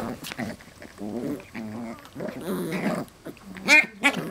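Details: Westie puppies at play with parent dogs, giving short throaty growls and grumbles in quick runs, ending in two sharp high squeaks or yelps.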